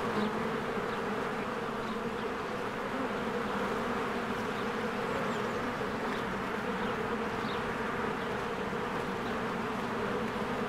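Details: A swarm of honeybees coming and going at their hive in spring. A constant droning buzz dominates, with faint high chirps from a bird showing briefly in the background.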